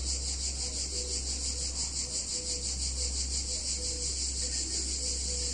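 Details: Cicada chorus in a small Italian town on a hot summer day, high rasping buzz pulsing evenly throughout, with a loud low hum underneath and short faint tones.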